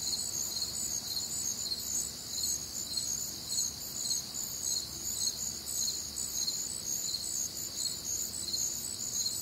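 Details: Crickets on a warm, humid Midwestern summer night, many calling together in dense, shrill pulsing chirps on several high pitches, rhythmic trills layered over a steady soft nighttime hiss.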